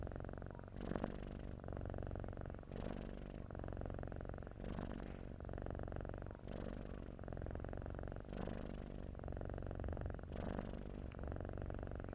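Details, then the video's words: Sleeping domestic cat giving a snore-like purr: rhythmic low buzzing rumble, each inhale and exhale marked by a breathy surge about every two seconds across the whole stretch, otherwise quiet. "MY LITTLE TIGER, TIDUR MENDENGKUR"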